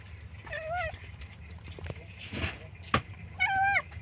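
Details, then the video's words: Abandoned kitten alone by a roadside, crying very loudly, perhaps left behind by its mother or dumped. Two drawn-out, slightly rising then falling meows about three seconds apart, with low traffic-like rumble and a sharp knock between. "kucing menangis dibuang"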